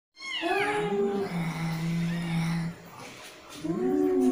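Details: Angry cat giving a long, low, steady yowl that bends upward at the start, holds flat for about two seconds and trails off, followed by a brief rising whine at the end; quiet room background.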